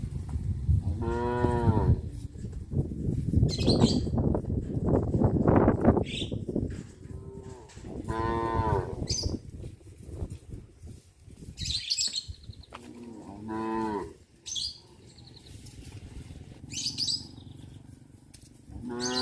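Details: Cows walking along a village road to the livestock pen in the afternoon give several drawn-out, harmonic moos, some rising and falling, over shuffling hooves and low background noise.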